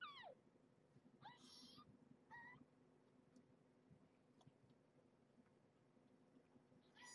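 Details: Squealy two-week-old kittens, offspring of rescued stray Marge, handled indoors while being weighed; a steeply falling mew opens, followed by two shorter wavering cries, a long quiet stretch, then one more cry at the end.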